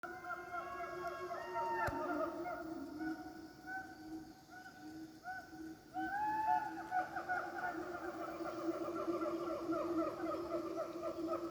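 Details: Wild siamangs in Pakpak Bharat, North Sumatra, call in a loud chorus of overlapping, rising and falling whooping notes with rich harmonic tones.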